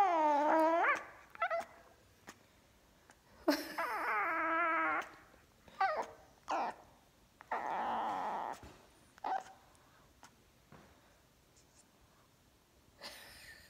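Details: Jasper, a fawn Pekingese puppy with a black mask, complains after his feline sister, a Persian cat, finds his food bowl: wavering, harmonic whines and yowls in bursts, some rising then falling, with short yips between quiet pauses.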